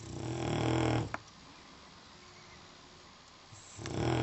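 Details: A sleeping dog gives a low rumbling snore, a long quiet pause, then another snore begins.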